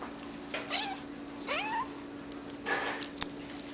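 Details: Hairless Sphynx and Bambino kittens of a cattery litter: three thin, high kitten mews, the second sweeping upward, spaced about a second apart, with a steady background hum and a brief click.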